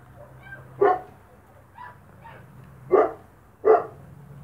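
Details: Spanish Mastiff puppies from the Vegas Altas del Guadiana, eating dry feed; three short, sharp barks at irregular intervals over a low background hum, with fainter softer yelps between them.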